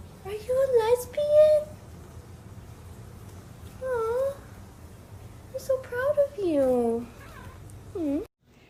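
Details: Domestic cat from a funny TikTok cat compilation gives a string of drawn-out, wavering meows, some rising then falling, with a long whining cry near the end, separated by short quiet gaps over a steady low hum.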